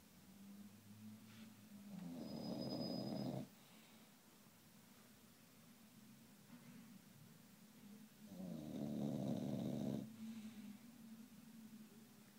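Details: Sleeping English Bulldog snoring: two long, rough, rasping in-breaths about six seconds apart, each lasting over a second, with quieter gurgling breathing between them in a calm, still room.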